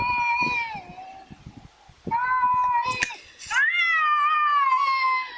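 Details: Domestic cat in a talking-cat compilation gives three drawn-out, speech-like meows: a level wail that dips at the end, a short steady cry, then a long cry that rises sharply and slowly falls. Clicks and knocks sound between calls.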